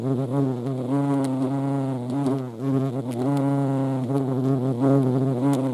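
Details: European hornet (Vespa crabro) at a feeding place, giving a loud, steady, low droning buzz with rich harmonics that wavers slightly in pitch and volume throughout, with brief dips as it moves.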